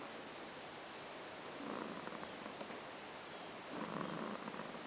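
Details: Ash, a pet cat, snoring while asleep: two soft, breathy rasping swells about two seconds apart, each lasting under a second, over a steady background hiss.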